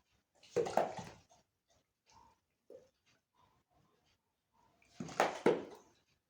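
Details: Julie, a pet Labrador Retriever indoors in a small room, gives two loud, rough, broadband bursts of sound about four and a half seconds apart, with faint soft murmurs and small knocks in the quiet between.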